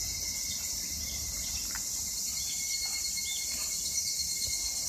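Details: Evening cicadas (higurashi) singing in Japan in summer 2021: a dense, steady high-pitched chorus shimmering without pause, with a faint thin tone running beneath.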